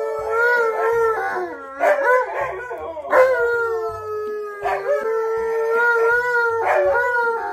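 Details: K'eyush, an excited stunt dog, gives drawn-out howls that dip and level off, broken by several sharp bursts of yips, while rhythmic music plays underneath.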